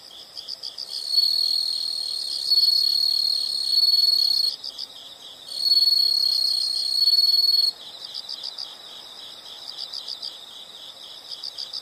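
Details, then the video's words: Insects chirping in a nature setting: a steady pulsed chirp around four per second underlies long, loud continuous trills that start and stop in bursts, with a high thin whine above them. "the sound of insects"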